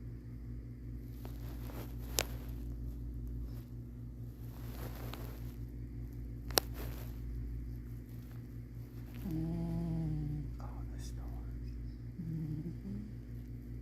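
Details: A cat, asleep and dreaming, purrs with a steady low rumble, then gives a brief nasal snore.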